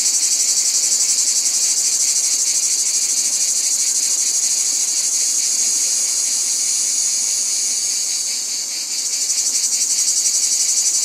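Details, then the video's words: Massed cicadas buzz in a loud, sizzling, high drone with fast rhythmic pulsing, briefly dipping and thinning near the end before surging back to full strength. "Cicadas | Black Screen Sounds"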